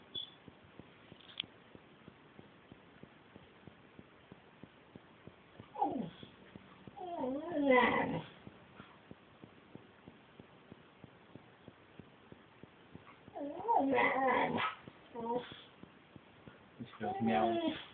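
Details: Female Siberian Husky imitating a kitten's mew while wanting to nibble a kitten: several wavering, whiny high yowls in short bursts around six, eight, fourteen and seventeen seconds, over a low steady background hiss.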